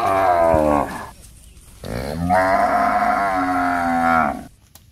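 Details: Cows looking for food in a housing complex give two long, loud moos, each a drawn-out harmonic bellow with a brief pause between.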